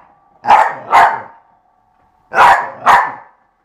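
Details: Eva, a dog playing with a skateboard, barks in two quick doubled pairs about two seconds apart, each bark sharp and mid-pitched, with silence between the pairs.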